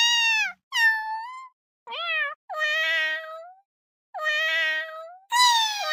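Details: Cat repeating meows of varying length and pitch: short, rising and falling cries alternate with longer level ones, some cutting off abruptly, with silent gaps between and a bright, loud meow at the close.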